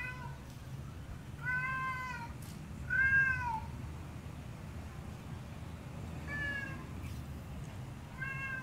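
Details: Male alley cat singing a loud serenade beneath the window of his housecat lover: four long, clear, harmonic meows, each rising slightly then sliding down, spaced about one to three seconds apart over steady low background hum.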